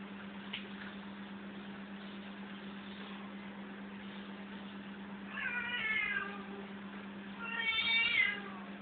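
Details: Cats playing indoors: two bright, quavering meows late in the clip, around five and eight seconds, over a steady low electrical hum.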